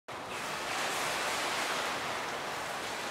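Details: Dense rushing water noise, like splashing or a pool filter, fills the short stretch without any whistle or call.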